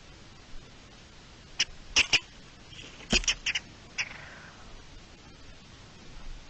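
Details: Garden dormouse alarm call, recorded 3 April 2021: a burst of sharp, high clicking chirps, some doubled, scattered over a few seconds, then a single fainter chirp, all against a low steady hiss.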